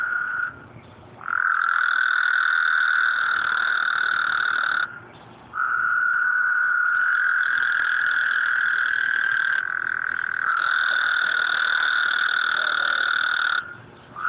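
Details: Night frog chorus recorded by phone at the end of a work night: unbroken, steady trilling that swells and drops off in long stretches of three to four seconds, several callers overlapping at slightly different pitches, no other sounds.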